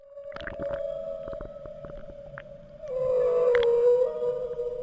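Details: Humpback whales in the Maui Basin, Hawaii, in mid-December winter breeding season, moan in long, steady tones with brief squeaks and clicks. A microphone dropped from a tour boat picks up more whales than the one at the surface.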